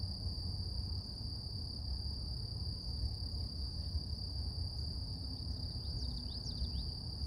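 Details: Cicadas droning in the morning with a continuous high, even-pitched hum; short bird chirps cut in near the end, and a low rumble runs beneath.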